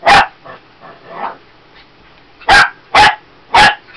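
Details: Female Shih Tzu puppy barking at a lavender oil bottle; one sharp yap, a few softer muffled huffs, then three loud high barks spaced about half a second apart at the end.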